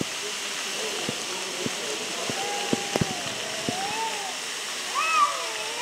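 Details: Two cats arguing near Antalya, Turkey, trading long, drawn-out wavering yowls that slide up and down in pitch, with a sharper rising cry near the end, over a steady rushing background like running water and a few sharp knocks.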